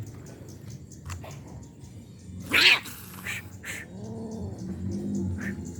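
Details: Stray roadside cats being fed on an island: a sharp bang, then a soft, arched meow that rises and falls, with faint rustling and low background hum throughout.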